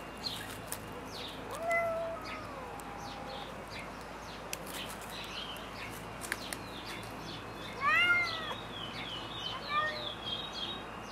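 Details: White Turkish Angora cat, female, outdoors on a summer day in Florianópolis, Santa Catarina, Brazil, giving a drawn-out meow, then after a pause a louder arching meow and a short follow-up, among scattered clicks and background noise.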